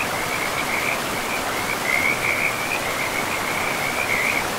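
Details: Forest riverside frogs call in a continuous chorus of quick, rattling trills held at one high pitch, rising and falling slightly in strength, with the steady hiss of running river water beneath.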